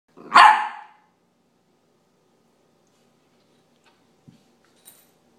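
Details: A 13-week-old Scottish Terrier puppy chasing its tail gives a single sharp, loud bark, followed by near silence with a few faint knocks.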